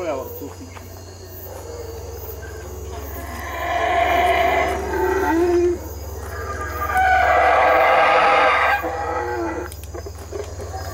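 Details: Boisterous howler monkey calls come in two loud, surging roaring bouts, each about two seconds long, separated by quieter rough calling and a steady low hum.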